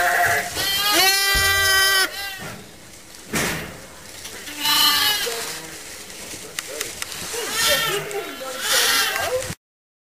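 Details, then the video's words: Motherless lambs in a pet lamb pen, held for close watching and regular feeding. One loud, long bleat comes near 1 to 2 seconds, followed by several softer, quavering bleats from other lambs, and the sound then stops abruptly. "More Lambs in the pen"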